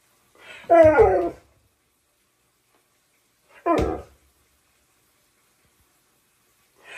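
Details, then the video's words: Siberian husky shouting at its owner indoors: two loud, harmonic, wavering yowl-like bursts about three seconds apart, each under a second long, with quiet between and a faint further sound at the end. "Not Saying A Word When My Husky Shouts At Me!"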